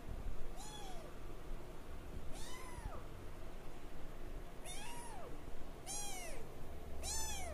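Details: Male Singapura kitten, 22 days old, born 28 January 2013 in Japan, giving five arched, high-pitched mews spaced one to two seconds apart, each rising then falling, over a low steady background hum.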